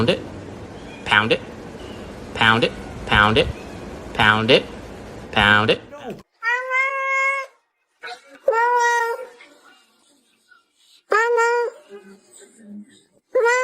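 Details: Domestic cat meowing indoors: a run of short, clipped vocal bursts, then several drawn-out, tonal meows that bend downward, separated by silent gaps, with a human voice mixed in during the opening seconds.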